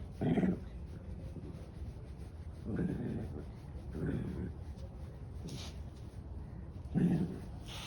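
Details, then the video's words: Senior dog, 13 years old, with a heart murmur, being vocal. Four short, low, rough groaning bursts come at about 0.3, 2.8, 4 and 7 seconds, with quiet indoor background hum in between. "Can't help being vocal, Senior dog 13 with heart murmur"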